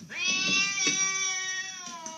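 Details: Pet cat giving a long, drawn-out meow, steady and slightly falling in pitch, lasting about two seconds, with faint background noise.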